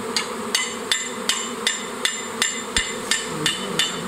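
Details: Sharp metallic knocks repeat about every 0.4 seconds, ten in a row, with no buzzing or other animal sound audible.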